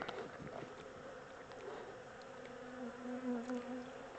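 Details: Honey bee swarm, the second one caught, being moved from a small temporary box into a bigger hive; a steady low drone with a clear overtone holds throughout and swells slightly near the end, with faint bird chirps in the background.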